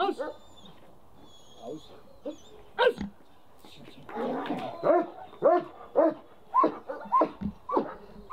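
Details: German Shepherd in protection training, barking in short harsh bursts, sparse at first then quicker, roughly every half second, with a man's voice praising and encouraging the dog in between.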